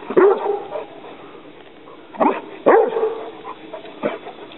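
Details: Young Rhodesian Ridgeback dog confronting an alligator snapping turtle, giving sharp separate barks spaced about a second or more apart, each falling in pitch, with a person warning it away between them.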